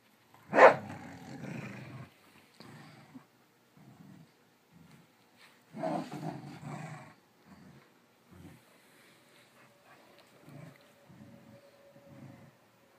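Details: Two dogs, Sonic, a cattle dog and rat terrier mix, and Stella, a smooth coat border collie, chasing each other round and round indoors in a game. A sharp bark opens a series of short, rough, low growl bursts separated by silent gaps.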